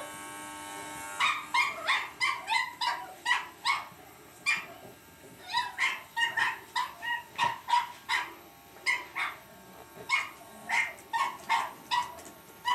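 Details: A Cavalier King Charles Spaniel puppy battling an electric shaver yaps in quick, uneven bursts of high, sharp barks.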